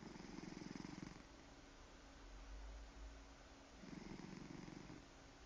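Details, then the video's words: Domestic cat snoring while purring: two low, throbbing rumbles of about a second each, separated by a quieter stretch of soft breathing, with a faint steady hum underneath. "Snore Purr"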